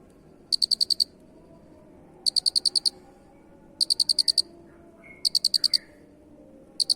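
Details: Masteran cricket: trains of six to eight rapid, high pulses repeated about every one and a half seconds, with a faint sliding whistle from a bird between chirps.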